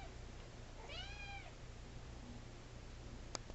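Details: Young Siamese kitten giving a single short, arched meow that rises then falls, with faint overtones. The meow is heard over steady low electrical hum and room noise, and a sharp click follows near the end.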